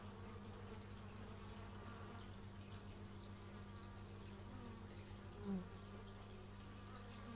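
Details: Dense droning of bees in stereo via an x/y microphone, a constant low hum with shifting higher whines and one short nearby pass late in the clip.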